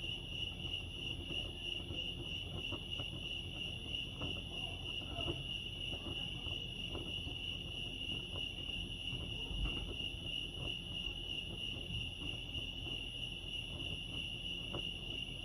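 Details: Crickets at Lake Arrowhead, California, sing a sustained high, rapidly pulsing chorus for the whole stretch, while low background rumble and a few faint knocks sit underneath.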